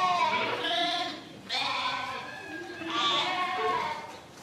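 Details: Sheep bleats, three smeared, quavering cries spaced about one and a half seconds apart, against a hissy background.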